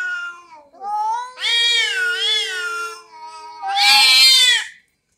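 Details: Orange domestic cat quarrelling with another cat gives long, drawn-out, wavering meows that end in a harsher, strained cry, sounding fierce.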